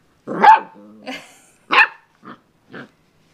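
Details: A dog named Jake plays with a doorstop indoors, letting out a sharp yelping bark followed by a brief growl, another bark, then two short softer barks spaced about half a second apart.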